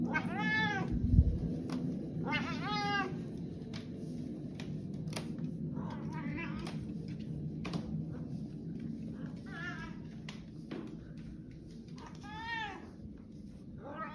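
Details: Pet cat in a funny home compilation giving several drawn-out, arching meows, a pair close together near the start and more toward the end, over a steady low household hum.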